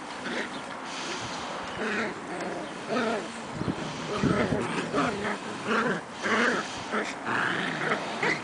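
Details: Two Shetland Sheepdog puppies, 7.5 weeks old, named Croft's I Want It All and Indiana, romping together in spring; bursts of low harmonic growling and whiny grumbles come in short repeated runs over about eight seconds.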